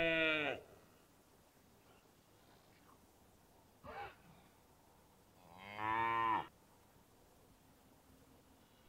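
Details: Cow mooing: three calls, a loud harmonic low moo at the start, a brief softer grunt near four seconds, then a long rising-falling moo near six seconds, with quiet background between.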